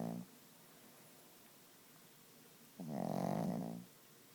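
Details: Gidget, a sleeping Chihuahua, snoring loudly: one rough, droning breath lasting about a second, with stacked harmonics, following a quiet pause and a fading tail of an earlier snore.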